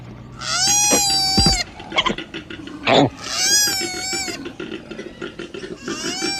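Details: Koala calls: two long, nasal, wavering squeals about a second and a half apart, with a third beginning at the end. Brief knocks and a scrape sound between them.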